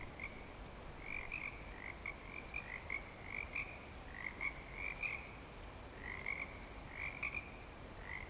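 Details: At Clearwater Commons in breeding season, frogs keep up a busy chorus of high, clipped chirps and brief trills, several animals overlapping, set against steady low hiss.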